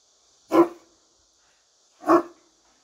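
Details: Turkish Great Dane behind a barrier giving two single deep, harsh barks about one and a half seconds apart, with silence between them.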